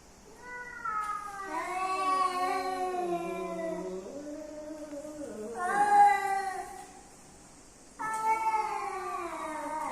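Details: Domestic cats, a male and female coming together, give long wavering yowls with rich harmonics. Pitch slides down and rises again over several seconds, followed by two more drawn-out howls.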